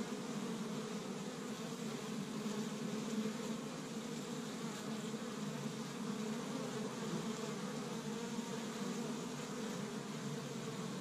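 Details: Honey bees of an established hive in Michigan, busy on the first warm day of spring gathering pollen from tree buds; a steady, dense droning hum of many wings with no pauses, low bands strongest, continuing throughout.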